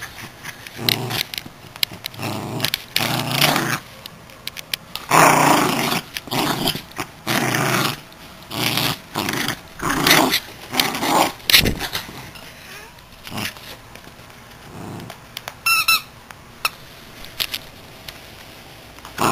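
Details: A Miniature Schnauzer playing with his toy squirrel growls in short, rough bursts, with a brief squeak near the end.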